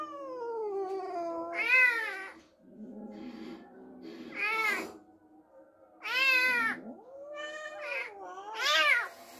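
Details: Cat upset after an unfamiliar kitten was brought home: a falling moan, then four loud arched yowls spaced about two seconds apart, with quieter murmuring sounds between them.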